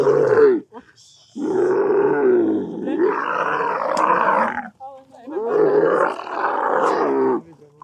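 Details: An agitated tourist dromedary camel in the Agafay Desert, Morocco, is tied closely with its neck restrained and said to be going crazy. It gives long, loud, gurgling, roaring bellows in three extended bursts with brief pauses between them.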